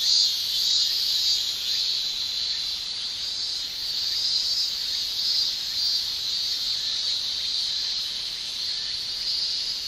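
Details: Male cicadas in Japan in summer, their song made with tymbals: a continuous, shrill, high-pitched buzzing drone that holds steady throughout. A dense chorus swells gently in loudness, with no other clear sounds.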